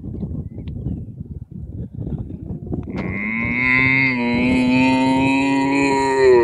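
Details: Cows standing in a field in Ireland; after three seconds of rustling and handling noise, a single drawn-out, steady moo begins and carries on to the end, rich in overtones and slightly brightening at its close.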